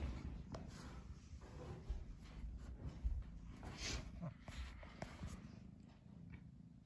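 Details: Domestic cat, indoors, torn between sleeping and playing, gives a steady low rumbling purr that runs throughout, broken by scattered soft clicks and rustling handling noises.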